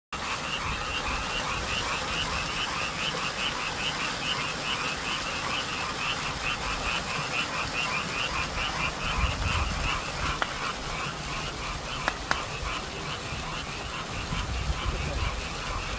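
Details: Frogs calling through a spring night near an apartment complex in Korea: a dense chorus of rapid, rattling croaks repeating about two or three times per second, steady throughout, with faint low background hum.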